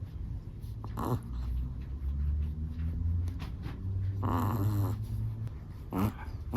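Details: Sleeping Chihuahua snoring indoors: low rumbling breaths with three brighter wheezy, harmonic bursts spaced a couple of seconds apart over a steady low hum.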